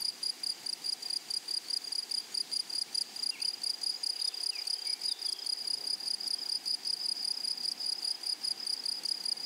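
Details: High pulsed buzzing of grasshoppers in a flowery meadow, steady rapid chirps with a bright overtone, and a few faint higher chirps from another insect or bird partway through.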